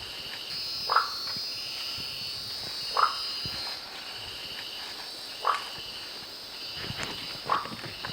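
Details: Marsupial treefrog, Gastrotheca recava, calling: four short, bright knocking notes spaced about two seconds apart, each a quick plucked pop, over a steady high hiss of insects in the background.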